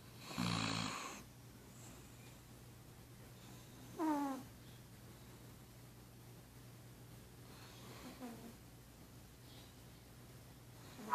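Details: Pug snoring while asleep beside its owner, indoors: a loud rasping snore burst at the start, a second snore with a nasal, whistling tone about four seconds later, then a faint third breath near eight seconds, over a steady low hum.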